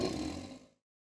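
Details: In autumn at a zoo, a howler monkey lets out a short, rough, low, throaty roar that fades within a second, howling back at the gardening team's leaf blowers to mark its territory.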